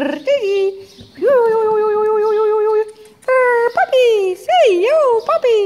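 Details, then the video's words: Jura x Ted pups, eight weeks old, in stables on their last play with a spaniel: a rising yelp, then a long steady whine held about two seconds, followed by wavering, undulating whimpers close to the microphone. "Jura x Ted pups 8 weeks old saying goodbye"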